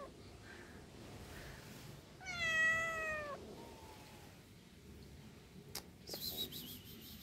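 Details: Domestic cat giving a single clear meow of about a second, slightly falling and tailing off, followed by a faint second short call; a few clicks and rustles near the end over quiet room background.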